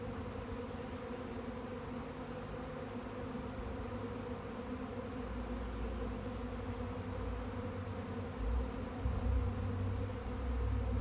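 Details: Massed honey bees in a swarm producing a constant, thick buzzing drone, joined toward the end by growing low rumbling like wind or handling noise.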